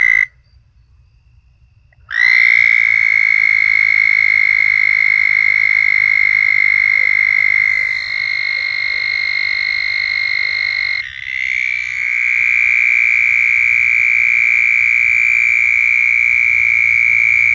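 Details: Southern toads giving mating calls, long continuous high musical trills held for many seconds, several overlapping callers at slightly different pitches, one trill fading as another starts, very loud and close.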